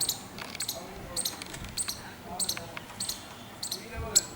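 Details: Squirrel giving a clicking alarm call: sharp, high, dry clicks in short paired bursts, repeated roughly every half second for about four seconds over faint background hiss.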